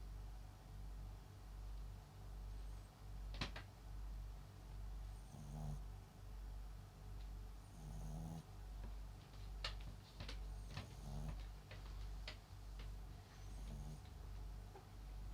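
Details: Papillon × Japanese Chin mix dog named MAX, asleep and snoring; soft, low rasping snores return roughly every two and a half seconds, with scattered faint clicks over a steady low hum.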